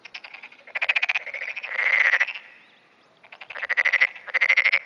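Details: Black-spotted pond frog calling continuously in early morning, 10 June 2009, answering surrounding frogs; rattling pulsed croaks come in bursts with a brief lull in between, and overlapping callers build up.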